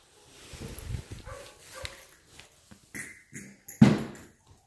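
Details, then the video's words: Three-month-old Labrador Retriever puppy: low soft grumbling and rustling, then a short thin whine around the third second and a single sharp yip near the end, followed by quiet. "3 months Labrador pup"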